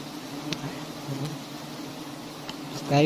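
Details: Steady low hum of a honeybee colony from huge nests hung on a palm-garden tree, a few faint ticks, and a voice starting at the very end.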